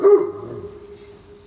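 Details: Single deep, loud bark from a Great Pyrenees, a very large dog, during a morning walk in the rain, fading quickly into a lingering low ring.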